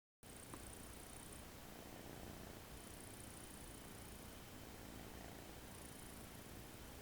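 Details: American Shorthair kitten asleep on a person's arm on its first day home, relaxed, snoring softly: a low, breathy rumble that holds steady throughout, with a faint high hiss coming and going in the background.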